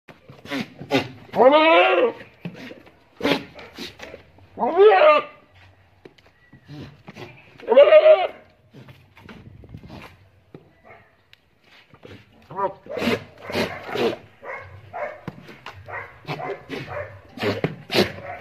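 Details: Goat giving three loud, quavering bleats rich in harmonics, roughly three seconds apart, followed by a long stretch of people talking with scattered softer noises.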